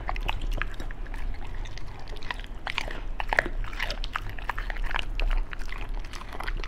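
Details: Beagle indoors eating raw foods such as chicken leg, duck gizzard, pork liver and rabbit kidney: dense irregular wet crunching and chewing clicks, with soft low room hum underneath.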